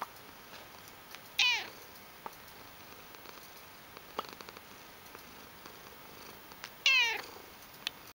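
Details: Indoor pet cat with loud purring makes two short, strained meows roughly five seconds apart, each bending downward at the end, amid soft background clicks and faint room noise.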